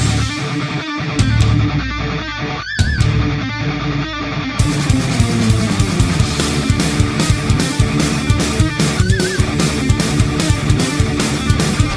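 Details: Loud heavy metal music with distorted electric guitar and drums throughout; no animal sound can be picked out.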